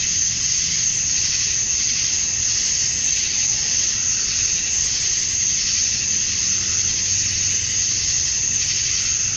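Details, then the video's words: Male cicadas chirping to attract females at summer dusk in Georgia, USA: a dense, unbroken high-pitched shimmering drone holding steady throughout, with only a faint low rumble beneath. "Cicadas at Dusk, Summer Night"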